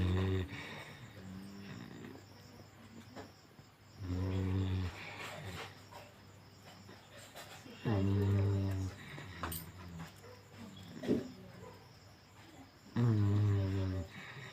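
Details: Sleeping Golden Retriever snoring: deep, throaty rumbling snores on long drawn breaths, recurring roughly every four to five seconds, with soft raspy breathing between them in a quiet room.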